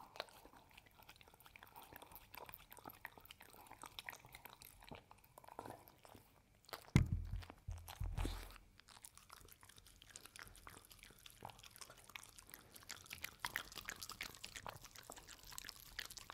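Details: Hazel the pet dog eats homemade Ube Roll and Cookie Cat treats indoors. She crunches and chews loudly, with a heavy low thump around the middle and a steady run of crisp bites afterward.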